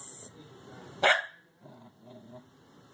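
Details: Corgi puppy named Oberyn, six months old and afraid of going down stairs, gives one sharp bark near the middle, followed by faint softer sounds while coaxed with treats.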